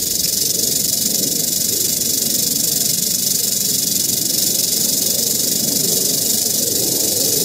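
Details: Eastern diamondback rattlesnake found in Central Florida, filmed with a Panasonic Lumix FZ300 and GoPro Hero 8 Black, rattling its tail: a continuous dry, high hissing buzz that holds steady without a break for the whole stretch.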